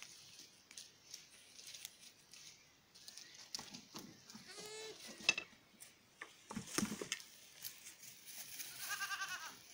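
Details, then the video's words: Miniature goat kids playing at dusk on a French farm; short harmonic bleats near 4 and 9 seconds among scattered knocks and rustling, with a faint steady background hiss. "Chèvres miniatures des Tourelles ~ Jeux des chevreaux au crépuscule"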